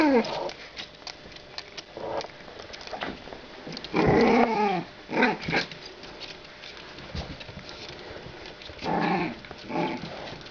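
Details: Two 45-day-old female French Bulldog pups, born 23 December 2011, give intermittent whiny growls. The strongest is a drawn-out tonal rumble midway. Shorter grumbles come before and after it, with quiet shuffling between.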